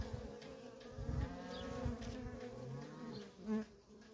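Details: Worker honey bees in nonstop traffic at a feral colony: a steady, low, droning hum with a layered harmonic tone, swelling and dipping as bees pass, with faint low thumps beneath.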